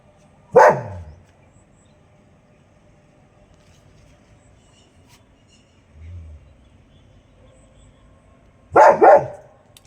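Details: Pet dog in India on guard in the morning, barking to call its friends, which do not answer: one loud bark, a long quiet pause, then a second bark near the end.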